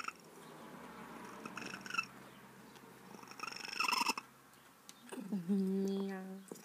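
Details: Formerly very wild feral female cat, trapped and spayed years ago and now close to her caretaker, 'talking' with a short low chirping trill near the end, after quiet rustling and soft household noise.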